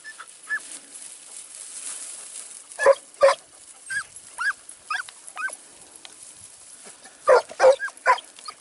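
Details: Segugio Italiano hound on a training outing in Evros, Greece, 12 September 2018: scattered yelping and baying barks, some faint and distant, others closer and louder in pairs.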